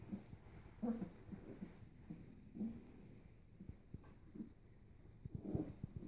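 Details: Playing Kuvasz-Golden Retriever puppies, littermates born 11–12 May 2014, recorded during a play hour on 3 June 2014: repeated short growly yips and grumbles every second or so over soft tapping and scuffling.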